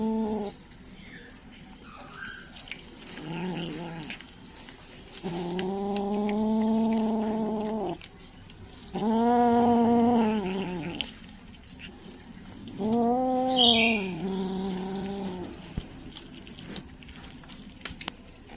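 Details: Kitten crying in three long, loud, harmonic wails, each rising then falling, spaced a few seconds apart, with a few quieter shorter cries between and a quiet indoor background.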